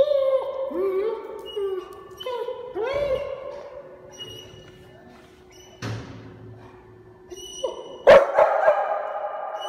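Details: German Shepherd eagerly welcoming its owner home indoors: high, excited whines and yelps in short rising-and-falling harmonic arcs, several in quick succession early on, then a thud and a louder burst of whining near the end.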